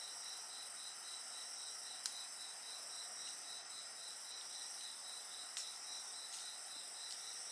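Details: Night insects, sleep and study ambience paired with bonfire sounds, keep up a steady chorus: a bright pulsed trill near the top repeats rapidly, over a continuous high shimmering hiss, with occasional sharp crackles from the fire.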